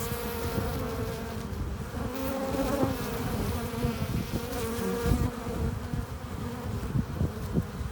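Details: Honey bees at the hive entrance, workers flying in with pollen and nectar: a dense, steady buzzing hum with layered low drones and bright tonal bands near the middle, swelling and fading as individual bees pass close.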